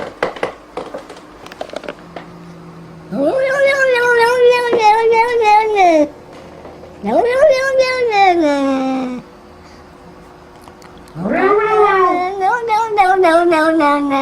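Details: Cat producing three drawn-out wailing yowls, each rising sharply then gradually falling in pitch, with faint clicks and room noise between them.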